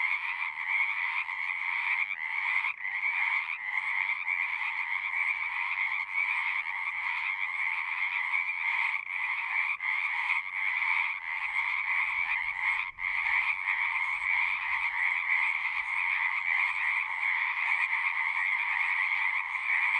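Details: Singing frogs form an unbroken wall of sound: countless overlapping trills and croaks throbbing steadily, with faint pulsing gaps scattered throughout and a single brief drop near the middle. No birds, voices or wind.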